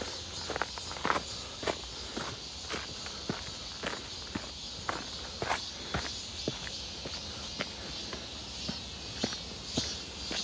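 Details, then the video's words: Midsummer cicadas near Seonbawi, 1 August 2023, on a clear hot day: a continuous high-pitched buzzing hum fills the background while a walker's footsteps crunch regularly, almost two steps per second. "부쩍 많아진 매미소리"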